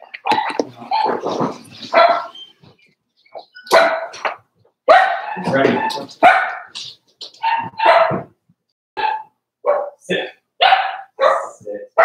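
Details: Indoor pen of four-week-old Cavalier King Charles Spaniel puppies, Daisy's litter, yapping busily: a dozen or so short, high, squeaky barks in quick bursts over people talking nearby.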